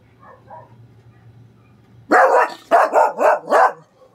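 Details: Barking while a neighbour's dog keeps barking: faint, distant double barks at first, then a quiet stretch over a low hum, followed by four loud, harsh barks in quick succession.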